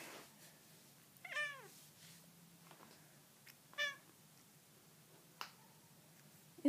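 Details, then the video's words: A talkative pet cat answering its owner indoors gives two distinct meows, the first long and descending, the second shorter about two and a half seconds later, with a few clicks and soft household noises between. "Talking kitty cat"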